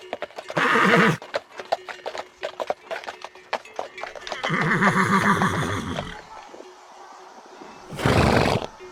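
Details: Horses in a galloping herd: a brief whinny, a steady patter of hoofbeats, then a longer quavering neigh and a final noisy burst.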